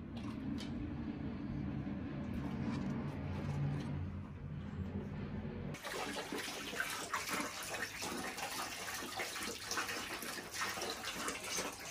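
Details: A low indoor rumble gives way after about six seconds to loud, broadband rushing water like a flushing toilet or running tap.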